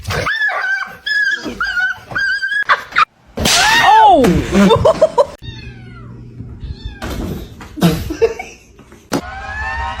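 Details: Domestic cat meowing in short bursts, with several rising-and-falling calls in quick succession, broken up by sharp cuts, bursts of noise and quiet gaps; a faint background hum sits beneath.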